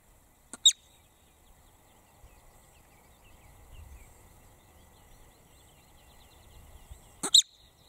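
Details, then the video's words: A marmot's shrill scream heard twice, roughly six and a half seconds apart. Each is a very short, high, piercing shriek led by a faint tick, with soft outdoor ambience in between. "screaming marmot"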